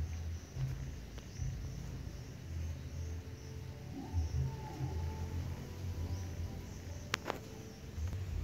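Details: Mother cat purring to call her hungry newborn kittens, whose eyes are not yet open, guiding them close so they can nurse; a low, steady rumbling purr with soft pulsing swells and a couple of faint clicks near the end.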